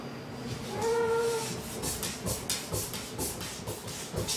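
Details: Maru the cat calling to its owner: one short, level, clear meow, followed by a run of regular soft thumping and rustling bursts.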